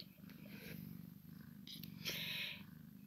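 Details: Low purring from a Maine Coon x Sphynx cat during play between a kitten and its mother, overlaid by louder rustling and a short hissy scrape near the end.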